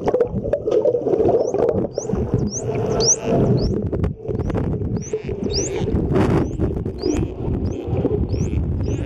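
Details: Wild dolphins underwater off Mikura Island, Japan, whistling while releasing bubbles from the blowhole, filmed during a dolphin swim on a compact underwater camera; short high upswept whistles repeat about once a second over steady low water rumble and bubbling.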